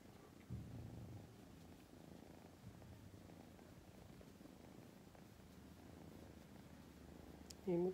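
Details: Female tortoiseshell kitten, a rescue cat born in August 2020, purring steadily: a low, continuous rumbling throb that runs through the whole stretch, with a woman's voice breaking in briefly at the very end.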